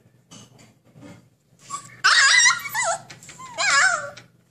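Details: Caged husky puppy trying to get out, starting with faint scratchy noises before loud, wavering whimpers that bend up and down in pitch, in two bursts near the end.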